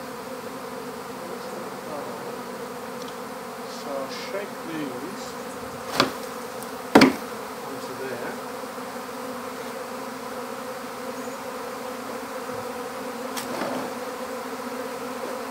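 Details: Swarm of honeybees being gathered into an empty hive, a moderate, steady buzzing drone throughout, with two sharp knocks partway through and a few fainter taps.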